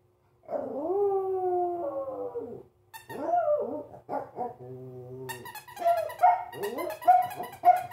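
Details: Pomeranian reacting uncertainly to a new squeaky toy: a long wavering whine-like howl, then a steady squeaky tone, followed by a run of short sharp yips and barks rising in pitch.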